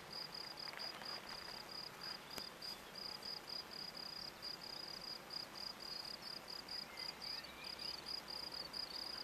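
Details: Song of a field cricket (Gryllus campestris) at a Brasschaat sports field in Belgium, a biotope now lost: rapid, evenly spaced shrill chirps on one high pitch, continuous, with a faint click and light background noise.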